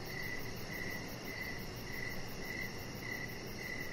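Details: Evening crickets outside by a deck give thin, high chirps at a steady, fairly quick pace over a constant low rumble of background noise.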